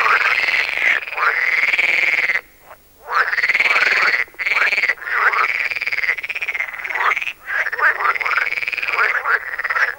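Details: Chorus of pool frogs, several individuals vying for sound space with territorial calls interrupted by song; long drawn-out rasping calls overlap, separated by short silent gaps, with shorter croaks woven between them.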